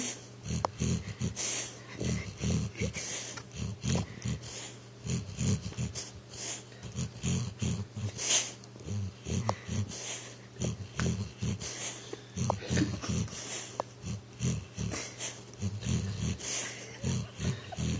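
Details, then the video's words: Sleeping pit bull named Recchi, dreaming on the couch and trying to run: steady runs of short, low, snuffling snores and puffs, grouped in little bursts with brief pauses, indoors in a quiet room. "Snoring pitbull tries to run in his dream"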